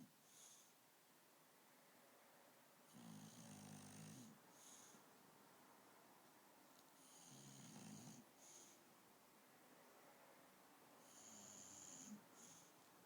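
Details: Akira, a female dog asleep on a bed at night, snores in slow rasping breaths: three loud, drawn-out snores about four seconds apart with a faint whistling edge, each followed by a short softer exhale, in a quiet room.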